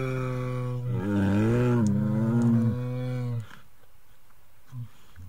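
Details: Himalayan brown bear roaring: a long, deep, harmonic-rich bellow lasting about two and a half seconds, slightly rising then falling in pitch, followed by quiet with a faint low grunt near the end.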